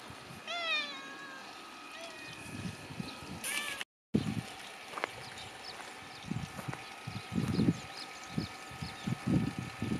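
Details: Cats kept inside a fence: one clear meow near the start, drawn out with a rise and fall, then a fainter short meow. A brief dropout follows, and the rest is soft thumping and rustling.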